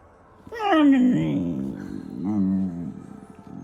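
A German Shepherd puppy gives a drawn-out, wavering whine that falls away, then a shorter warbling moan.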